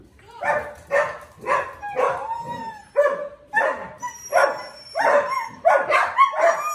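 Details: Morning indoors, a Siberian Husky gives a rapid run of short, yodelling howl-barks, about two per second, each rising then dropping, with a faint high whine in the background.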